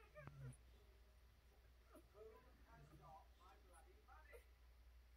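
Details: American Bully puppies at four days old, nursing from their mother under a heat lamp; a string of quick, rising-and-falling squeaky whines and whimpers over a low steady hum.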